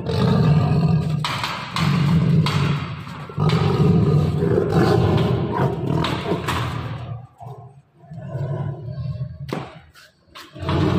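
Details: Captive Bengal tiger at feeding time with meat: repeated deep, throaty roaring bursts roughly every second or two, low and rumbling, with brief pauses, thuds and faint voices between.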